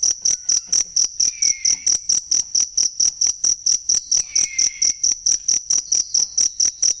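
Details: Bright, metallic cricket chirps, played as a model for songbird training, tick along evenly at about two per second, with faint falling bird whistles around the middle and near the end.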